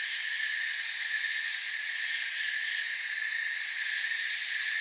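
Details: Crickets heard in forest ambience: a constant high-pitched shimmering trill layered in bands, with one brief brighter tick near the end, otherwise steady.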